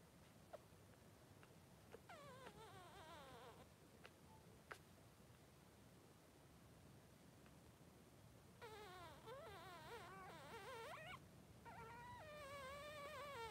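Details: Newborn Blenheim Cavalier King Charles Spaniel puppies, three days old, in Pom-Pom's puppy pen: after quiet faint cries, a run of wavering, rising-and-falling harmonic whines builds over the last five seconds, with a final warbling cry.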